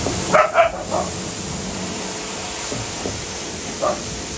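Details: Arctic wolfdogs at breakfast in a wolf park, feeding on a young goat: two quick yipping barks in the first second, a softer yelp near the end, over a steady hiss of background noise.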